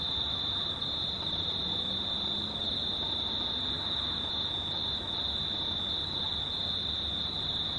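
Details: Crickets at night, near-full moon, 19 March 2019: a steady unbroken high trill at one pitch, over dense low background rumble and hiss.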